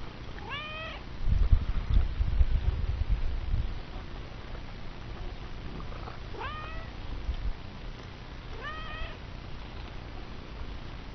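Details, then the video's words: Chatty cat meowing three times, each a short rising-then-falling meow, spaced several seconds apart, with a burst of low rustling noise early on. "Chatty Cat is Chatty"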